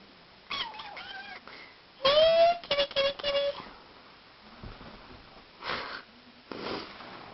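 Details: Pet cat named Tuesday, playing, gives short meows: a quick falling mew near the start, then a louder drawn-out meow followed by two brief chirping mews. Soft bumps and rustles from play come in between.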